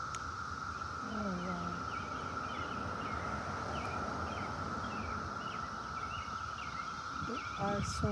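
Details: Many cicadas clustered on trees and the ground drone in a steady, unbroken buzzing tone, with people talking nearby.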